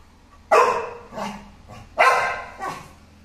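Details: An American Pit Bull Terrier, filmed together with an American Bully, gives two pairs of barks: a strong harsh bark followed by a softer echoing one, repeated about a second and a half later, in a quiet room.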